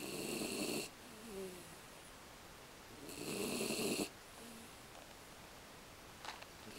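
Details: Aki, an American Beagle, snoring: two rough, vibrating snores about three seconds apart, with soft whistling exhales between them and a small tap near the end.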